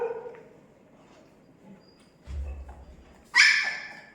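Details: Seventeen-day-old Labrador Retriever puppies, now starting to walk and very active once their mother arrives, make soft whimpers, then a low thumping rustle followed by one loud, harsh, drawn-out yelp.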